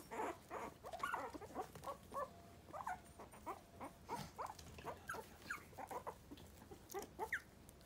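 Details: Quiet, thin squeaks and short rising whimpers from three-week-old Miniature Pinscher puppies, nervous newcomers to the world beyond their baby bed. The calls repeat steadily at low volume over a faint background hiss.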